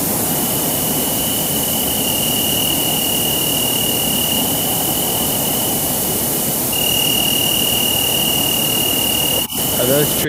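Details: Three crickets sing steady, high, continuous trills as individuals with different frequencies and intensities, a second singer taking over slightly higher and louder, recorded with an AudioMoth recorder.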